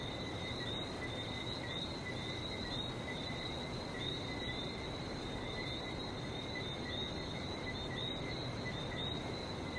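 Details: Continuous chirping of frogs on Barbados, two bright layers of rapid repeated notes that never pause, set against loud steady ocean surf noise.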